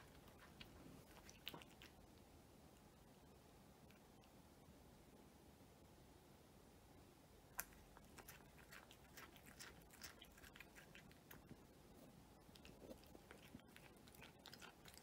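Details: A cat eating its meal indoors, with crisp irregular crunching and clicking bites scattered through a quiet room, the chewing growing busier in the second half.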